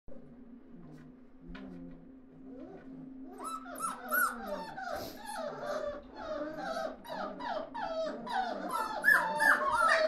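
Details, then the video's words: Several puppies together indoors, starting with a low steady hum and a few faint sounds, then breaking into overlapping high whines and squeals that grow louder and denser toward the end. "Szczeniaki razem"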